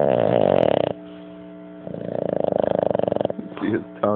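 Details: Taco, a sleeping Boston Terrier, gives drawn-out, fluttering snores, each breath a rough, vibrating buzz that swells and fades, as he does all night; a man's voice cuts in near the end asking what he's dreaming about.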